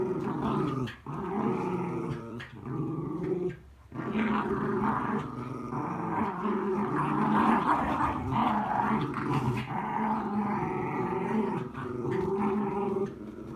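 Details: Indoor Miniature Schnauzer venting rainy-day frustration by attacking a mat, growling almost without a break: rough throaty rumbles with short gaps, shifting into louder, rasping snarls in the middle and fading slightly at the end.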